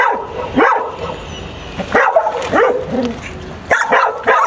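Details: Dog barking while locating a marmot hidden under a pickup truck; a few sharp, yelping barks with rising-falling pitch, spaced irregularly about every second or two, with wind-like background hiss.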